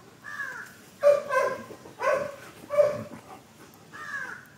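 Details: German Shepherd playing in a backyard gives three hoarse, harmonic barks about a second apart, framed by drawn-out whining, moaning calls at the start and end.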